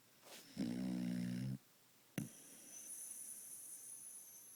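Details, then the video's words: A dog snoring hard gives one droning, harmonic buzz of about a second, low and steady. A click follows, then a thin, steady high-pitched whine. "Doggie snores something fierce"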